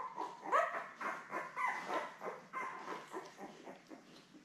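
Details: A nest of seven week-old Labrador Retriever puppies, born May 24, 2021, beside their mother Belle, filmed on a live puppy cam on 3 June. Steady thin squeaking and mewing whimpers pulse roughly twice a second, loudest at the start.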